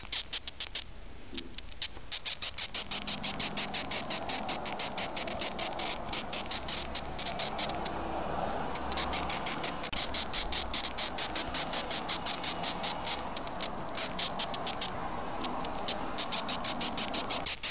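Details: Male death's-head hawkmoth handled by a finger, uttering long runs of short high squeaks in quick succession, briefly pausing midway, while a hissing high background noise joins after the first few seconds.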